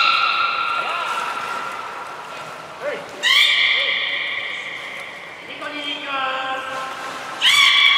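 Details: Belugas Gray, Mirai and Nico training at Port of Nagoya Public Aquarium on December 16, 2018; sustained harmonic whistles, short looping chirps, and loud bright whistle onsets, one at the end.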